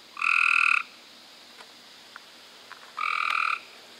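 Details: Cope's gray treefrogs recorded in May 2016: two short, harsh, buzzy trills, each about half a second long, separated by about two seconds of near quiet with a few faint clicks.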